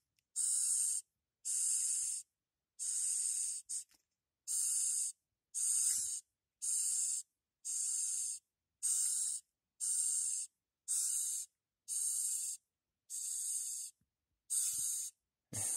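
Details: A small Madagascar hissing cockroach, one of three kept as feeder insects, gives a steady series of loud, airy hisses about once a second when touched, pushing air out between its body plates, and tries to butt back.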